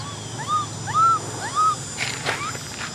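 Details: Baby macaque Cola, an orphan, cries for a bike ride: three quick arched wails, each rising and falling, in the first two seconds, followed by soft rustling noise.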